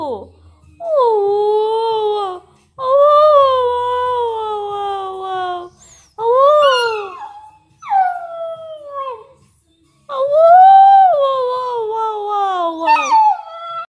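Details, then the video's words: Chesapeake Bay Retriever puppy 'talking' indoors with a run of drawn-out, yodelling howls and moans. Each rises and then sags in pitch, broken by short pauses, with one brief sharp yelp midway. "Cute puppy talking | funny puppy talking | Chesapeake bay retriever"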